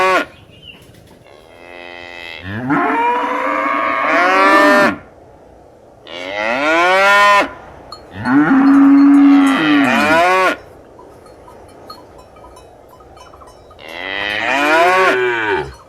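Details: Cow mooing in a run of loud, harmonic-rich moos: an early low call, then long drawn moos at about 3 and 7 seconds, a flat-toned moo near 9 seconds and a rising one at the end, with quiet gaps between.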